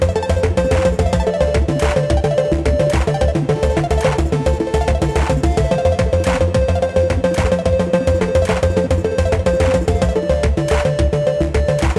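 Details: Loud, upbeat music with a fast, steady beat and repeating melodic lines throughout.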